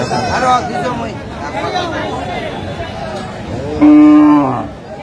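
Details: Cows with calves at the Aftabganj cattle market in Dinajpur, Bangladesh, on 22 April 2025: a loud, steady moo near four seconds, with earlier softer lowing amid crowd chatter and talking.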